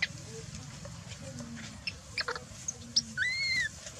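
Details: Baby macaque Dalton lies on the ground crying while its mother Dolly ignores it; a single clear, thin, whistled cry arches up and then slides down near the end, after scattered faint squeaks and clicks over a low murmur.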